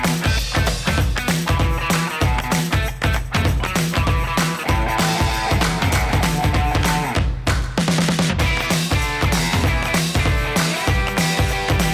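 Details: Loud rock music with driving guitars and drums fills the whole stretch, with no animal voice.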